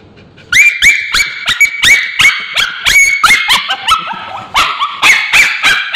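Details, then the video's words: Male Bichon Frise dog with scabies screaming as ointment is applied to his tail: loud, shrill, rapid yelps and cries with harmonic overtones, repeated several times a second, sharply rising onsets and wavering held notes. "Male Bichon Frise Dog Screaming when babysitter applying ointment"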